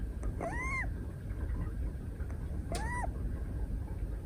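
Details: Moka, a 173-day-old female brown tabby Scottish Fold kitten, snores while napping in someone's arms at a desk on 12 December 2023. Two whistled nasal tones rise and then level off, about 2.3 seconds apart, over a low room rumble.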